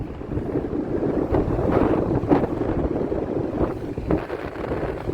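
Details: Steady rushing wind buffets the microphone over a low rumble like water or a boat engine, with no animal voice heard.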